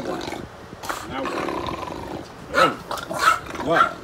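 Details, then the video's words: Playful English bulldog with its owner, a drawn-out rumbling growl followed by three loud, harsh, roaring bursts about half a second apart, a person's voice mixed in. "Sounds like a monster! |ENGLISH BULLDOG"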